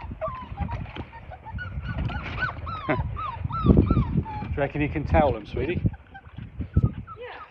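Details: Five-week-old Labrador Retriever puppies, a litter of six, playing in water in the baby pool where they were born; repeated arched, rising-then-falling whines and yelps over low splashing and thumping.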